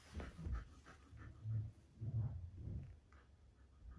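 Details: Siberian husky greeting a new puppy sister indoors, breathing in quick low huffs and pants with faint whimpery tones, several short bursts close together, then quieter breaths.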